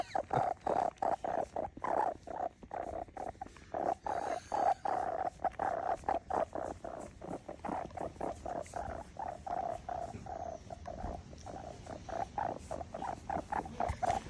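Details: Kitten making a strange noise: a steady, rapid series of soft rattling pulses, repeated several times per second, continuing throughout without a break.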